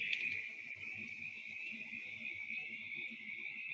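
A mountain chorus frog gives a raspy, squeaky-wheel call, with spring peepers peeping behind it.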